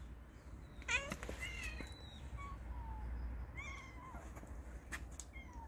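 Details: Cat (Felis catus), meow.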